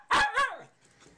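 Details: A pet puppy playing near a tunnel gives two quick, high, yappy barks about a third of a second apart, followed by near silence.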